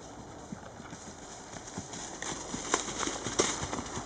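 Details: Charlie, an 11-year-old registered Tennessee Walking Horse gelding standing 15.1 hands, ridden outdoors; steady soft clip-clop of hoofbeats, roughly a beat and a half per second, with a few sharper clicks and light background hiss.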